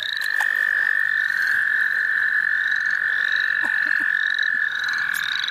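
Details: A single frog's long, unbroken trill dominates, steady and mid-pitched, recorded in the St. Olaf College Natural Lands while frogs were being caught, with faint rising chirps of other frogs behind.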